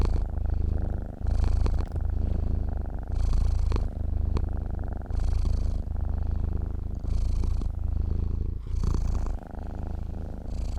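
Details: Domestic cat purring while asleep: low, throbbing drone rising on each breath in and out, cycles roughly every one and a half to two seconds, no other sounds.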